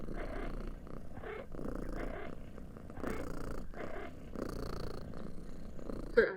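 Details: Indoor pet cat purring while it chirps. A continuous low rumbling purr carries short pulsed bursts repeated roughly every second in an even rhythm throughout.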